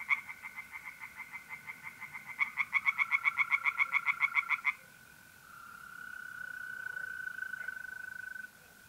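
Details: Tree frogs singing by a pond at night in mid-April, north-east Italy: rapid pulsed croaks about six per second in quick series, fainter callers behind, then a steady high trill of mole crickets continuing alone.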